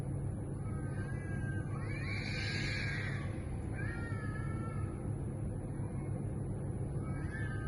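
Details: At 2am, neighborhood community strays in heat give drawn-out yowls: one rising, quavering wail, then shorter falling cries, set against continuous low rumbling background noise.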